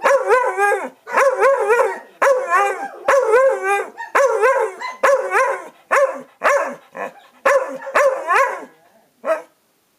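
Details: Chewy and Rosie, a pair of dogs, bicker back and forth with tonal, howl-like barks. The calls are bent and wavering, about ten bursts of one or two notes each, and break off at the end.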